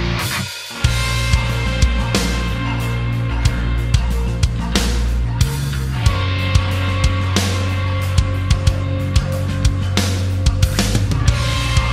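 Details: Loud rock music with distorted guitar and steady drum beats throughout.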